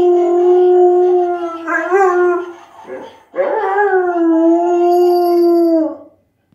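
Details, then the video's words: Pet dog howling along with a Christmas singing toy: a long steady tonal howl with rich harmonics, a brief wavering break near two seconds, a short gap, then a second sustained howl fading out after six seconds. "Dog sings Christmas song"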